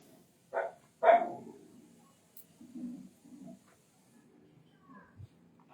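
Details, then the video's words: Indian desi dog giving two short, sharp barks about half a second apart, followed by quieter low rumbling sounds and faint background noise. "Indian Dog | Desi Dog"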